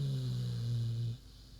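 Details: Queenie, a big pig, sleeping and snoring: one long, low, droning snore holding a steady pitch for about a second before breaking off into quiet room hum.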